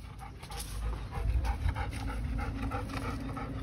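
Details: A dog pants quickly and steadily, with short breathy huffs repeated several times a second over a constant hum of background noise; no other animals are heard.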